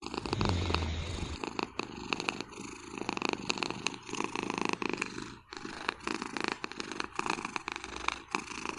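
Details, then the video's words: Napping cat snoring on a chair behind a desk in Vancouver: a continuous rough, rasping rhythmic breathing sound with steady in-and-out pulses, close and loud, in a quiet room. "낮잠 즐기는 고양이의 코골이 장면."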